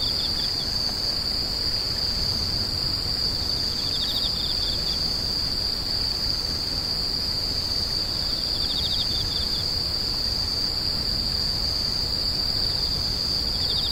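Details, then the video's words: Grass insects calling: an unbroken high-pitched whine with short rattling trill bursts slightly lower, appearing four times, over a low rumbling background. "The sound of insects crying"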